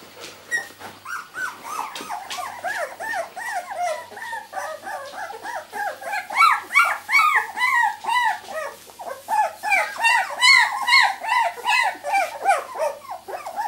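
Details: Two-week-old miniature Labradoodle puppies, litter born 31 July 2009, whining and yelping continuously, many arched, wavering squeals overlapping and growing louder and higher partway through, with occasional sharper yips.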